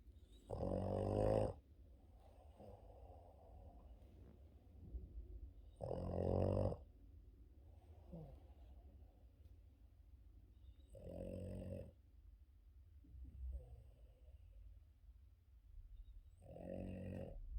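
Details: A Boston Terrier snores loudly during his morning sleep, each rasping breath returning about every five seconds.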